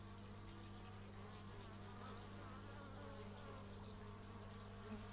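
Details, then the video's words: Several bees drone continuously in the open air, captured on an x/y stereo microphone. Their wavering buzz rises and falls slightly over a constant low mechanical-sounding hum. "Bee movie but its just bees"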